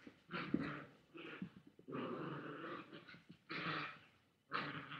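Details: Indoor webcam recording of a Chihuahua growling at a boy with a toy: repeated harsh growls of about a second each, broken by short gaps and a few soft knocks.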